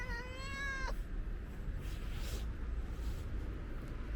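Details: Friendly ginger stray cat asking for food gives one clear, slightly rising meow of about a second, rich in harmonics, then stops; low rumbling outdoor background noise continues throughout.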